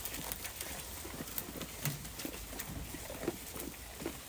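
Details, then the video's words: Sheep in a flock grazing on grass, giving dense, irregular crisp tearing and munching clicks, several per second, over a constant background hiss. "A Flock of Sheep Eating Grass"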